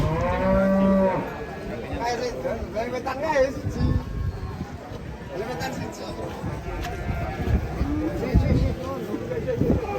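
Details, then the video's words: Cattle at a livestock market, described as angry when about to be sold; a deep harmonic moo opens the recording, followed by overlapping lowing from several animals and background crowd noise. "SAPI NYA NGAMUK PAS MAU DI JUAL"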